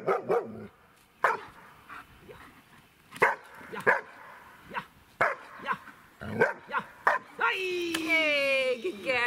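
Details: A 1-year-old female German Shepherd in bark training gives nervous rapid machine-gun barks, then five single deep barks at uneven intervals, earning a ball reward, and ends in a drawn-out whining yowl.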